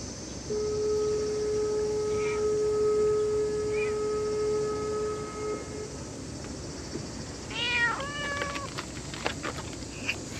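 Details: Stray cat meowing: a quick run of short, arching harmonic meows comes late in the clip, after a long steady background tone and faint hiss, with a few soft clicks at the end.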